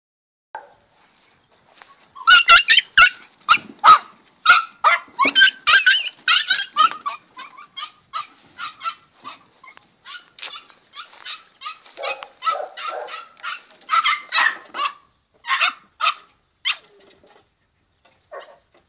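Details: A 2-month-old female Podenco puppy in a riding arena gives a run of high, sharp yaps and little barks in quick, uneven bursts.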